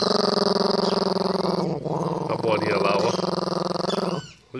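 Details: Pinscher protecting its ball keeps up a continuous throbbing growl for over four seconds, briefly easing midway, while a person's voice pleads in Portuguese to see the ball.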